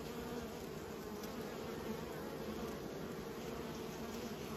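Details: Humming of kept bees, a short stretch of steady, droning wingbeat noise with a low fundamental and a clearer overtone above it, unchanging and without other sounds.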